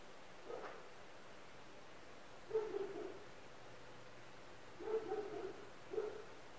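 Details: Dogs barking near an apartment building: a single muffled bark, a long pause, then a short cluster of two or three barks, another gap and a final bark over a faint low hum.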